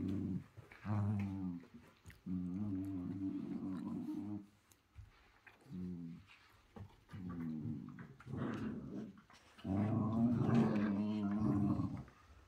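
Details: A dog doing 'growl yoga' produces a series of low, throaty growls with a voiced, moaning quality, some short and some drawn out; the final growl lasts about two seconds.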